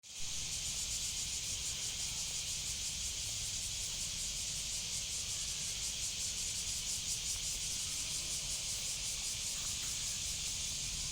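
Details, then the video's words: Cicada singing in a continuous loud, harsh buzzing hiss, high-pitched and steady throughout with a faint rapid pulsing, no other clear sounds. "Voice of cicada.(Semi.)"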